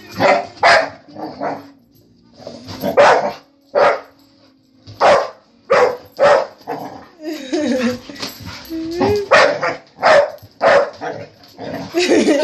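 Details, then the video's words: Family dog barking repeatedly at a vacuum cleaner: sharp, punchy barks roughly every half second to second over twelve seconds, with a brief whining stretch midway and faint music underneath. "Our family dog Hudson barking at a vacuum cleaner"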